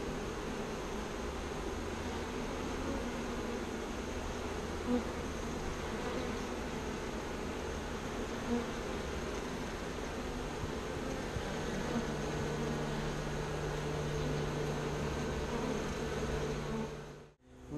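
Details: Bees shaken into a new bee box after being taken from a birdhouse, reorienting to find home, make a continuous droning buzz with a steady low tone and a faint deeper hum underneath.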